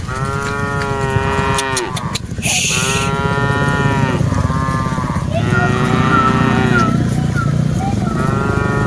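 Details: Dozens of cattle being herded: a long moo that drops away at its end, a short hissing burst of noise, then several more overlapping lowing calls from different animals above a continuous deep rumble.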